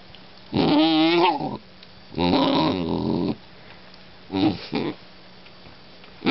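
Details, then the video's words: Vocal German Shorthaired Pointer puppy indoors, giving drawn-out wavering whines and groaning howls, each about a second long, with three such outbursts separated by short pauses. "vocal GSP puppy"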